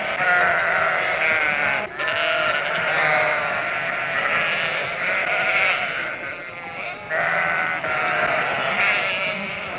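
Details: Flock of sheep bleating together, many wavering, nasal bleats overlapping into an unbroken wall of sound with slight swells and dips in loudness throughout.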